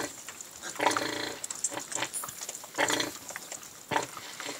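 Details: A farm sow and her young piglets at lunch: harmonic squealing grunts rise in a few louder bursts about a second apart, mixed with smacking and rustling sounds of eating.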